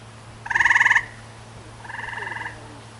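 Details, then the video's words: A tree frog scream: one loud, harsh, rapidly pulsed buzz lasting half a second, then a weaker, longer pulsed buzz about a second later. The background is quiet apart from a low steady hum. "Watch How A Tree Frog Screams"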